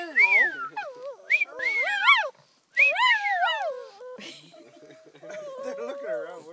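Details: Two Shih Tzus howl together in high, wavering, sliding tones that rise and fall, then a lower voice, possibly a person speaking, continues at the end.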